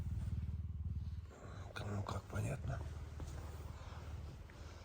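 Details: Hungry pet puma purring loudly in the morning while butting its owner and insistently asking for food; a steady low pulsing rumble runs throughout, overlaid by a woman speaking and some rustling.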